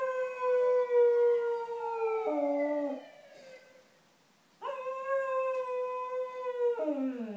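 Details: Cocker Spaniel dogs howling along to an ambulance siren: sustained, steady howled tones that slide down in pitch, a short pause, then another long howl that drops at its end.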